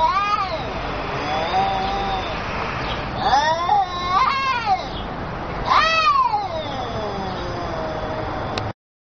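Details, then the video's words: Exchange between two angry cats: long, wavering caterwaul-like meows arching up and down, with a quick burst of overlapping cries near the middle and steady hiss behind. "Communication Between Two Cats"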